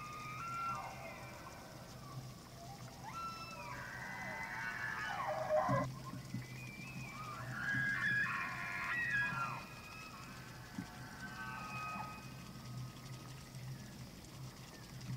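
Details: Several elk bugling during the rut on the evening of 24 September 2024 at Slippery Ann Elk Viewing Area, Charles M. Russell National Wildlife Refuge, Montana; overlapping high whistled glides rise and fall, with a steady low hum beneath.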